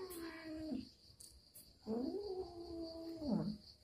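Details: Domestic cat at home, upset by an uninvited guest, giving two long, low, wavering yowls, the second swelling and bending downward at the end, with a faint steady electronic whine behind.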